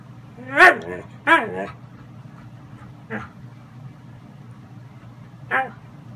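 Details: A Siberian husky gives short, wavering yowls that rise and fall, vocally protesting his bedtime in husky 'talk'.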